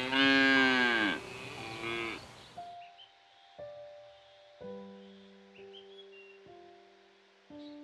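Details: Dairy cow giving one drawn-out, rich moo lasting about two seconds, followed by sparse, gentle melodic music notes.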